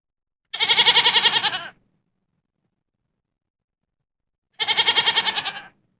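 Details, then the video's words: A goat gives two wavering, harmonic-rich bleats lasting just over a second each, with a fast trembling pulse throughout, separated by about three seconds of silence. "EFEITO SONORO CABRAS (GOAT SOUND EFFECT)"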